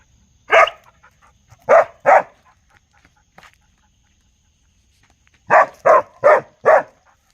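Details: Barking of a real dog, given as a single bark, then a quick double, a long quiet gap, and finally a rapid run of four loud barks close together.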